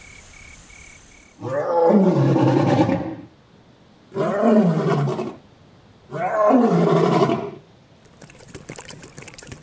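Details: Lion in the African savanna giving three long, deep, rasping roars, each lasting about one and a half seconds with pauses between; a brief faint beeping tone precedes them.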